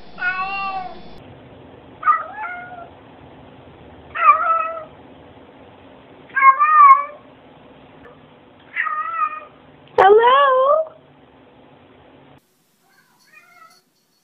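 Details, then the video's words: Domestic cat greeting with a series of six separate meows spaced roughly two seconds apart, some wavering and bent in pitch, the last louder and sharply rising, in an otherwise quiet indoor setting. "Cats Saying Hello"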